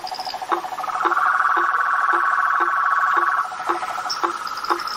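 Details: A swamp at night with blacksmith tree frogs: a continuous pulsed trill overlaid by short, low knocking notes repeated about twice a second, plus a few brief high chirps near the start and end.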